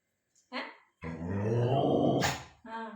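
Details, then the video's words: Pet dog vocalizing as if talking, indoors: a low, rough, sustained growl-like utterance of about one and a half seconds, preceded and followed by short human voices. "Pet Dog നല്ല അടിപൊളിയായി സംസാരിക്കുന്നത് കേട്ടോ.. ആവശ്യമാണെങ്കിൽ ഇവന്മാർ സംസാരിക്കും"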